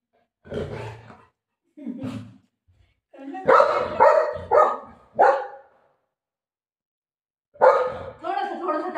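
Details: Golden retriever dog playing indoors with its owner, giving several short, harsh barks and growly yelps in bursts, the pitch sitting mid-range and breaking up; a woman talks to the dog in Marathi between the barks.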